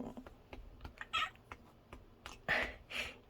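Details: Bengal cat indoors answering when called, giving two short, soft meows about a second apart, the second one clearer, over light clicking and tapping noises.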